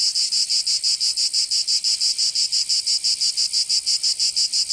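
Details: Cicadas singing in summer in Provence, southern France: a loud, high, buzzy chorus pulsing in quick regular beats, about three per second, with no other sounds.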